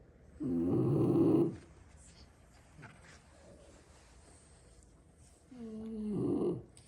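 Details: French Bulldog snoring during a nap. Six brothers lie sprawled around a room after a long play session. Two rough, rumbling snores about five seconds apart, the second opening with a whistling nasal tone. Quiet room in between.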